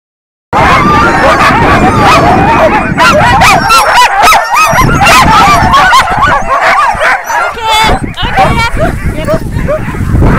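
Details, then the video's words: Several noisy dogs yipping and whining in a rapid, overlapping stream of high, wavering yelps and whimpers that continues throughout. "Noisy dogs"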